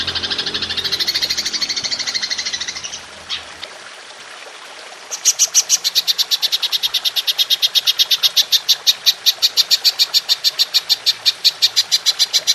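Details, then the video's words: Golden grasshopper on a songbird training recording: an opening stretch of fast dense rasping, a short pause with near silence, then a long series of sharp, evenly spaced high pulses, about three per second. "Belalang Emas Nembak Panjang"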